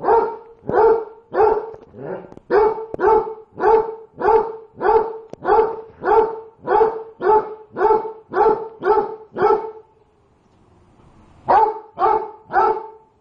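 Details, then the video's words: Dog barking at food too hot to eat: a long series of about sixteen loud, even barks, close together, then a short silence and three more barks. "Perro le ladra ala comida caliente"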